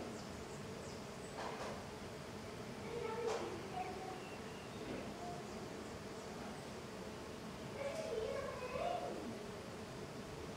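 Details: Many small golden stingless bees, Tetragonisca angustula, flying intensely outside their hive; scattered brief buzzes sweep up and down in pitch as bees zip by, with several close passes amid soft background noise.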